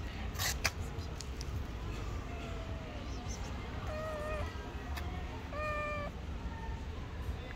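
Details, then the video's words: Stray cat living on the street, hungry and pressing against feet for food, utters a string of meows growing louder, ending in a long level cry, with clicks and low city rumble behind. "The hungry stray cat hugging my feet wants food."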